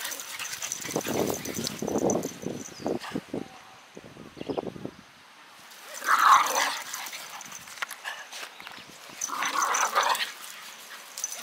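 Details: Japanese Terriers, a male born 2015 and a female born 2018, recorded outdoors on 8 October 2021 while on long leashes; short harsh dog vocal bursts near the start, a louder one around six seconds, another near ten seconds, with rustling between.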